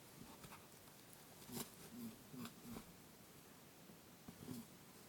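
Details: Lop-eared pet rabbit indoors, playfully chasing its friend Pooh while making its boo-boo call, recorded on a TASCAM DR-07X: a few short, low honking grunts spaced about half a second apart, with soft thumps and rustling.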